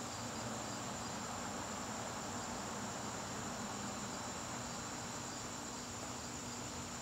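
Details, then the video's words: Crickets sounding in a garden on a September evening, a dense, even high trill with softer pulsing chirps, plus a low steady background rumble. "garden crickets"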